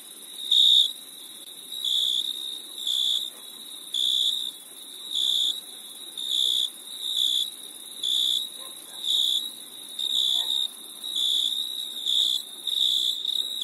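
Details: Crickets chirp at night in summer in steady, high-pitched pulsed bursts, about one burst each second.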